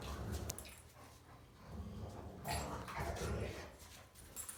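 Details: Three young German Rottweilers playing and play-fighting together; low, rough rumbling growl-like noises run throughout, with a few brief brighter bursts around the middle and near the end.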